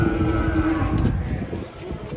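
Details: Giant Pegon cattle, agitated while coming down off a truck, gives a steady low moo held for roughly a second, then fading, with murmured voices and background rumble.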